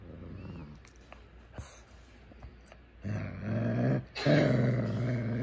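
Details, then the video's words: Shih Tzu, a male pet indoors, growling as if trying to talk to its owner; a quiet stretch, then low rumbling growls from about three seconds on, with a brief break and a louder closing growl. "shih tzu talking"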